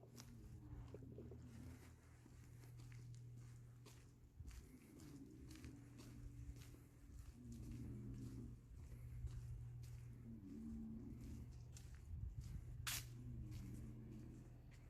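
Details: Pig snoring at night on a pig farm: low, rough, throaty snores that rise and fall in bursts about every two seconds, over a steady low mechanical hum and occasional soft knocks.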